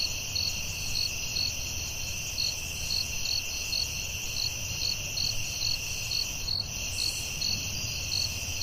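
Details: Night chorus of crickets in the forest, continuous high-pitched trill layered with rhythmic chirps roughly every half second, a faint low background hum underneath.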